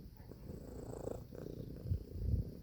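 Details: Domestic cat purring: a low, rumbling buzz that swells and fades unevenly, growing stronger toward the end of this short stretch.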